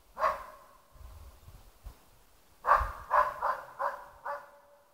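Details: West Siberian Laika holding a moose cow and calf at bay with ståndskall barking: one loud bark, a pause with faint low rustling, then a rapid run of five clear, ringing barks.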